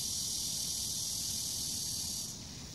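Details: A cicada in a summer park in Bucheon, Korea, gives a steady, high, hissing drone that runs unbroken, then softens slightly near the end.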